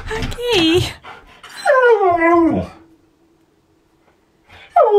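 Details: Siberian Husky copying a washing machine indoors: two long wavering whine-howls that slide up then down, then quiet, then a third whine starting at the end, with a person talking.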